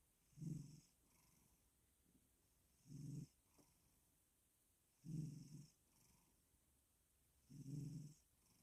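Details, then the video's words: A cat named Doob purrs and snores himself to sleep: four low, rumbling breaths about two and a half seconds apart, each a soft throaty burst with quiet pauses between. "Doob Purring And Snoring Himself To Sleep"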